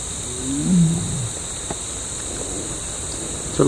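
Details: A big male tiger in Tadoba, seen on safari swimming across a dam while calling for a mate, gives a deep, rumbling roar that slides downward, with a steady insect hum behind it.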